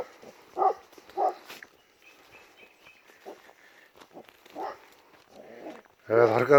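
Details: Kangal dogs, excited at night and apparently chasing a wild boar, bark from a distance in short, deep bursts spaced unevenly about a second apart; a man's loud voice breaks in at the end.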